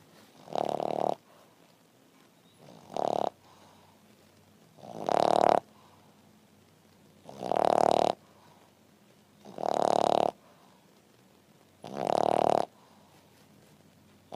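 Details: A French Bulldog resting after breakfast, snoring in six loud rasping bursts roughly every two seconds, each a buzzy nasal rumble of about half a second, with quiet breathing between.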